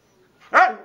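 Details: A talking Siberian husky gives one clear, tonal, rising-then-falling vocal with strong harmonics, swelling quickly and trailing off into a softer drawn-out tail, like a brief woo.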